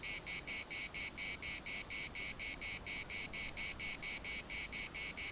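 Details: In Larnaca's municipal park, Cyprus, cicadas produce a sharp high-pitched rasping buzz broken into even pulses roughly twice per second, strong and uninterrupted over a quiet background.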